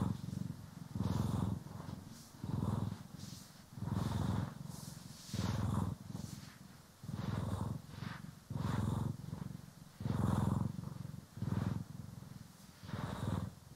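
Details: Domestic cats Poki and Kiwi purring while being groomed and brushed, recorded in stereo: steady low rumbling purr in rhythmic bursts about every second and a half, roughly ten cycles, with soft swishing brush strokes over the top.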